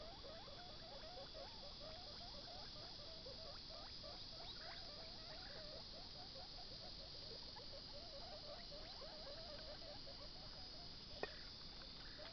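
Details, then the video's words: A young guinea pig gnaws on a carrot, its rapid, regular crunching running through the whole stretch with small pauses, while a faint steady hiss sits underneath. "Baby guinea pig eating a carrot"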